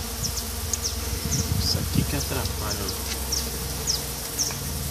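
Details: Mandaçaia stingless bees heard during a 2016 colony inspection by their beekeeper: a low, continuous droning hum under broad rustling noise, with faint, short, high chirps repeating throughout.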